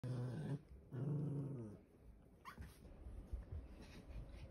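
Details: Two pet poodles play wrestling on a bed, growling in two low, rumbling bursts within the first two seconds, followed by quieter scuffling and rustling as they tussle.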